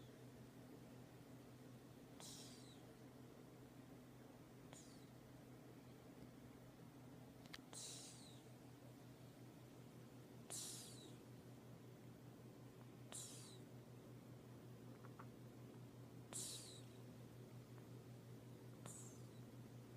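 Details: Cat asleep and snoring, each breath a brief hissing whistle falling in pitch, roughly every two and a half seconds, with a constant low electrical drone in a quiet room.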